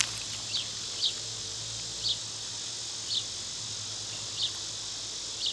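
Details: A constant high-pitched cicada buzz fills the summer air, punctuated by brief bright bird chirps about every second.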